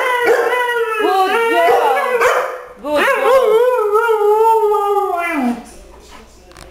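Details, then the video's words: Two dogs howl together, Mishka the Husky singing with Zola the Lab: rich, quavering, yodel-like wails that swoop up and down in two bursts, the second a long sustained tone fading away, over a person's voice. "Mishka the Talking Husky Sings with Zola the Lab!"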